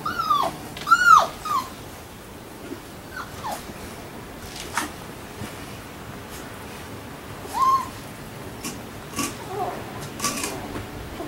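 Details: Labrador Retriever puppies whimpering: a burst of high, squealing whines with rich harmonics, rising then dropping, in the first two seconds, followed by scattered shorter, fainter squeaks and soft rustling over a quiet indoor background.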